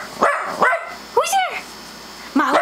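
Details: Mott the dog, set off by a doorbell played on a computer, gives loud arching barks: two quick ones, a higher yelping bark, then another after a pause, with a person questioning who it is between them.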